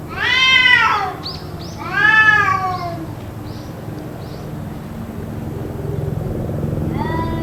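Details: Cats calling nonstop, possibly quarrelling, for about two hours: two loud arched yowls, several short faint chirps, then a rising wail starting at the end, above a low humming background.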